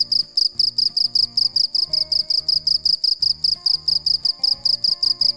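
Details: Unbroken shrill chirping from a cricket at night, bright trilled pulses at a fast, even pace of roughly three per second, with faint music and a steady low beat in the background.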